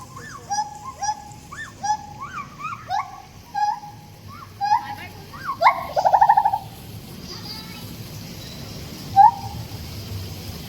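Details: Siamangs in a series of hooting whoops with rising upswept notes, building to a loud, quavering, buzzy climax. Quieter, scattered notes follow, and a single sharp hoot ends the run.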